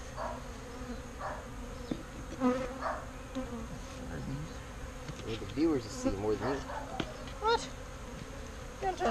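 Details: Bees buzzing as they are rescued from a birdhouse and moved into a bee box; passing insects give wavering, rising and falling drones that swell and fade close by, with faint voices and handling noises in between.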